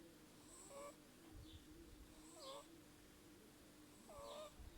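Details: Eight-week-old Burmese kitten named Kira snoring: squeaky, whistled breaths repeating about twice each few seconds, with thin airy hiss on every breath and a steady background drone.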